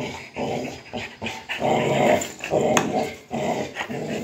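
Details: Rottweilers wrestling for a motorcycle tire, rough snarling growls in repeated bursts about every half second, with panting and scuffling between them.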